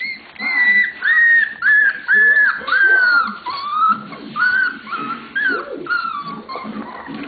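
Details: Lola's 27-day-old puppies at play together, giving loud, clear whistled squeals, each a short held or falling tone, repeated in quick succession, with softer yelps and faint background chatter between them.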